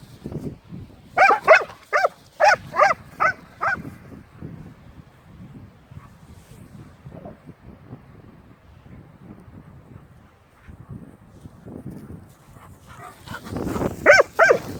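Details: Leonberger dog named Aslan possessively guarding a new toy: a rapid run of about six loud, harsh, harmonic barks early on, then low rumbling grumbles and shuffling, ending in another loud burst of barking.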